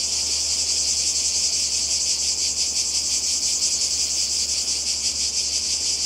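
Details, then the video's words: Seaside cicadas in Croatia during summer 2020 keep up an unbroken shrill buzz, its texture throbbing in quick regular pulses that grow more distinct midway, with only a faint low background hum. "Kroatien Zikaden und Meer"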